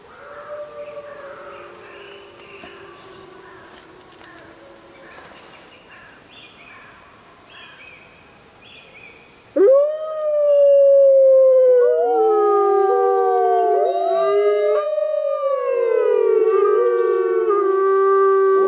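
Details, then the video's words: Grey wolves howling in the wild under a full moon: quiet background calls for ten seconds, then a loud chorus of several overlapping sustained howls, gliding up and down and crossing in pitch. "Wolves Howling Sounds in Wild Life | Wolf Howling"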